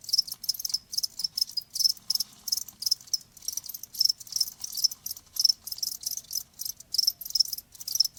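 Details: Cricket chirping, offered as a calming sound for tinnitus: high, bright chirps in short pulsed bursts, repeating roughly three times a second in a steady, unbroken rhythm, with no other sounds.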